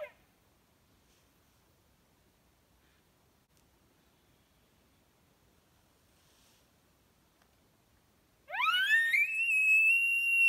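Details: A Roosevelt elk on the Oregon coast, in steep timber during hunting season, bugles after long quiet, a whistled note sweeping upward and holding high and shrill.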